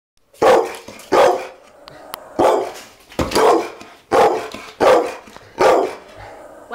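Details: A two-year-old foster pit bull, frightened by the camera, barks in a steady series of about eight loud, harsh barks, each roughly three-quarters of a second apart, with growly overtones.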